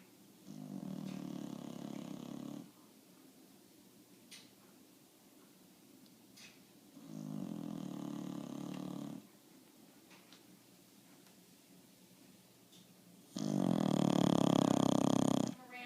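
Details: Sleeping bulldog snoring three times, each snore a harsh, vibrating drone of two to three seconds with quiet gaps between; the last snore is the loudest.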